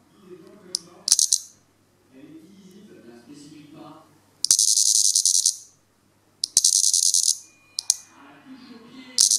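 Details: Lyristes plebeja deliberately disturbed during its sap meal, protesting: intermittent harsh high-pitched rattling buzz bursts about a second long, separated by quieter pauses with low murmuring voices.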